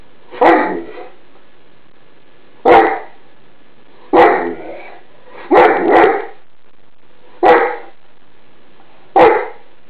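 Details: Mouse, a Greater Swiss Mountain Dog, gives alarm barks at an iron left on a bed; six deep, single barks spaced irregularly about every one to two seconds in a small quiet room.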